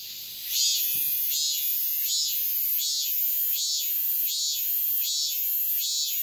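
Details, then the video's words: Midsummer dawn cicada song, a regular series of loud buzzy high-pitched pulses about every three-quarters of a second, riding on a constant piercing drone. "새벽매미소리를 들어보자"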